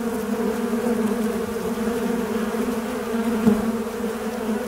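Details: Low, even buzzing of a fly in flight, a constant droning hum with a brief louder surge near the end.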